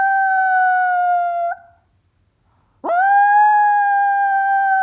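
A Chihuahua mix dog gives two long, steady howls separated by a brief pause.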